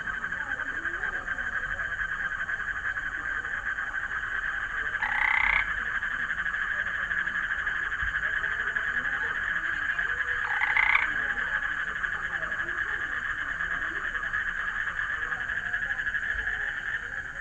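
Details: Frog calling over a steady, high droning chorus; two louder, brief rising croaks stand out near five and eleven seconds, each with a sharp upward sweep.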